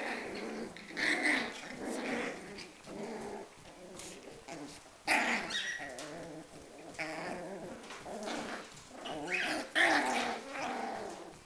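Schipperke dogs growl and snarl in a rough, rasping tussle with sharp yelps.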